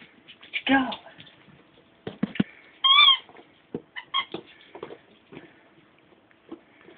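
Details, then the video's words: Ten-week-old Bichon Frise puppies: one sharp, high, tonal whine about a third of a second long near the middle, a shorter squeak just before, and scattered clicks and a human voice around it. "Ten-Week-Old Bichon Frises"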